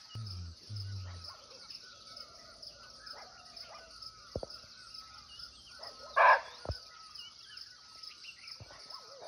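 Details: Nepal forest recording of a barking deer (muntjac), unseen but near: one short harsh bark midway, set against a steady ringing insect chorus, a thin whistled bird note and scattered low knocks at the start.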